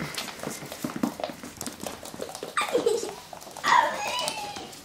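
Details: Russian Toy pups at play indoors give short, high whimpering yelps: one sliding downward near the middle, then a sharper, louder squeal toward the end, over light rustling room noise.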